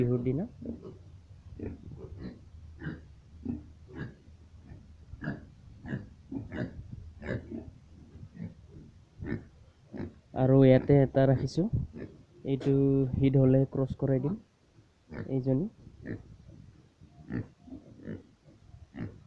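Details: Pigs on a small piggery in Assam, India, give a steady run of short low grunts several times a second, broken by louder, longer harmonic squeals mid-way, in a quiet, enclosed space.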